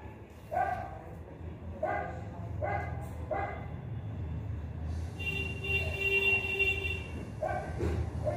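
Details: German Shepherd puppy, double-coated and described as show quality, gives sharp, harmonic-rich barks: four in the first three and a half seconds, then a steady tone over background noise, then another bark near the end.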